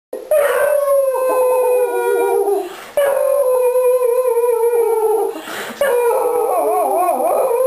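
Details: Three pet Beagles, Conan, Princess and their mother Daisy, howling when their owner gets home. Long, wavering howls overlap in a chorus, each lasting about two to three seconds, separated by short breaks.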